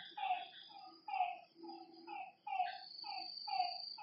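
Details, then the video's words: Frog calling at night beside a lake, a short downward-sliding croak repeated about once a second, each with a brighter upper overtone, over a faint steady high insect-like hum. "Lakeside night creatures and frog sounds"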